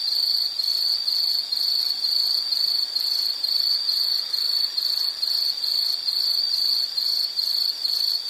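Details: Rhythmic insect chirping for relaxation listening: shrill high pulses repeated a little over twice a second in an even beat, each pulse a brief ringing burst, over quiet hiss.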